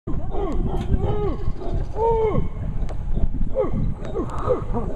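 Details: Howler monkeys calling along the Sarapiqui River in Costa Rica's lowland rainforest; deep, rough roaring howls with arching harmonic swoops overlap continuously, while a person's voice and laughter mix in.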